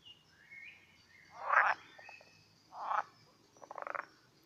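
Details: Pool frogs (Pelophylax esculentus) in their mating ritual croak in loud, rasping bursts, one ending in a quick stuttering rattle.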